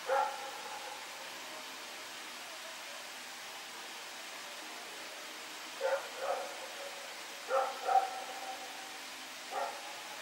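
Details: Dog Rex barking during a night of running around, September 21, 2018; one bark, a long pause, then two pairs of barks and a final single bark, with steady low hiss throughout.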